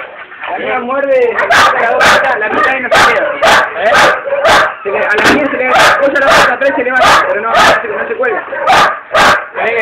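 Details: Pet female pit bull giving rapid harsh barks, roughly two a second, mixed with whining, yelping tones between the barks.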